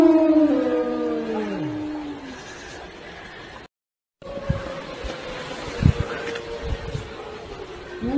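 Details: Siberian Husky. A Siberian Husky gives drawn-out howls, the first sliding down in pitch before fading, the next holding a long, steady note. Low thumps and background rustling sound beneath the voice.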